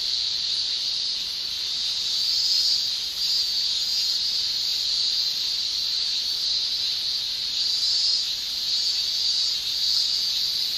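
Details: Male cicadas shrilling in a Japanese summer, sound made by tymbals: a steady high-pitched buzzing wall of sound, faintly wavering, with a brief dip near the three-second mark.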